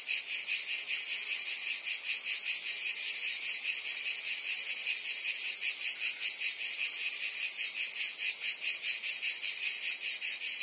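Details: In a Provence summer, massed cicadas keep up a bright, piercing buzz, throbbing rhythmically several times each second without pause, the whole chorus steady in loudness throughout.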